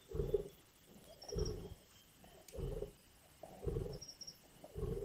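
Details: At a carcass in Indian bush, lions give harsh, low snarling growls in short bursts spaced about a second apart, separated by quiet gaps, with a soft high-pitched chirp twice in the distance.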